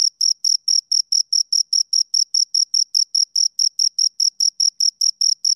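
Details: High, piercing cricket chirps from a pair of crickets, short pulses repeated evenly about four times per second with a faint higher overtone, clean and free of background noise.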